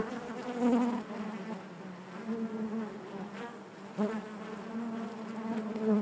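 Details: A honey bee colony droning inside its hive: a warm, continuous buzz whose pitch wavers slightly as individual bees pass close, swelling louder at the start, around four seconds and at the end.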